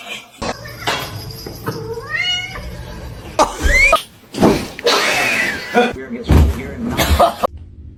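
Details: Kitten meowing and crying, giving a few short rising mews amid thumps, rustling and a human voice in the background.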